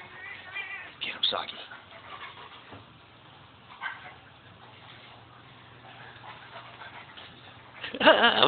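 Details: Siamese cat weighing 5 lb, playing with a gentle 110 lb Rottweiler indoors; a loud, harmonic meow rises and falls near the end, with human voices talking over earlier faint cat sounds.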